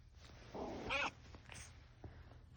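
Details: Cat snoring while asleep: a soft breathy rasp swells into one brief buzzy, vibrating snore about a second in, then fades to faint quiet breathing.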